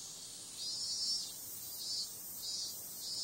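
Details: A cicada at night gives a shrill, hissing drone, swelling in louder pulses every half second or so.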